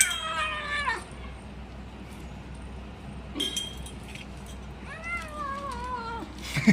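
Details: Kitten making noise over its food as it eats and protects it: two drawn-out, wavering, falling meows, one at the start and one near the end, separated by quiet chewing and a faint background hum.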